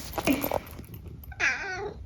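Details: Senior tabby mix cat Eric, a talkative pet in a UK home, answers his owner with a drawn-out, slightly falling meow after a stretch of quiet human speech in a small room.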